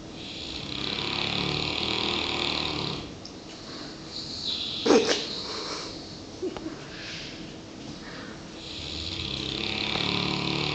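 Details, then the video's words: South African Boerboel Klein Sandfontein Daniel, a one-year-old dog, resting after a hard working day: soft, breathy snoring as broad hissing swells that fade and return, with a brief louder snort midway. "Бурбуль храпит"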